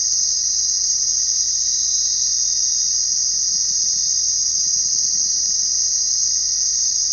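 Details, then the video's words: Night crickets produce a dense, unbroken high-pitched trill that holds steady from start to end, with a faint constant lower tone beneath and no other clear sounds. "Crickets Chirping at Night"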